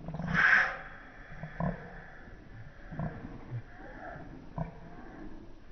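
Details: Wookie the Alaskan Malamute at evening tug of war with a toy, slowed: one loud, brassy growl-howl at the start, then quieter thumps and scuffles with faint grumbling.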